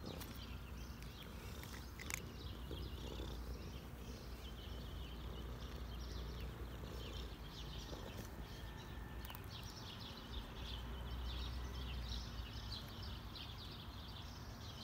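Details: Cinnamon, a cat being petted as much as he wants, purring steadily: a continuous low rumbling throb throughout, with scattered faint rustles and clicks above.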